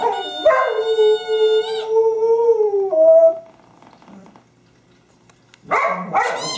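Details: Pet dog Honey, with her favorite squeaky toy on 24 January 2012, holds a long even howl that breaks into a short higher note, falls quiet, then starts a new rising yelp-like howl.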